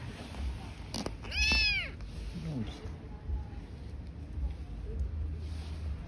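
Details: Street-living cat family of newborn kittens and their mother: one loud, high arching meow, rising then falling, about a second in, with a soft click before it, over steady low rumbling background noise.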